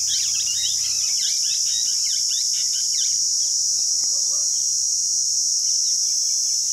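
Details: Cicada chorus from Rajsamand in Rajasthan, India, a constant shrill sizzling hum without pause; a dense flurry of small bird chirps in the first three seconds, then only scattered faint notes.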